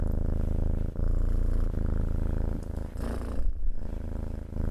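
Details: Purring cat, low continuous rumble with rapid pulsing, a short dip near the start and a slight shift in tone toward the end.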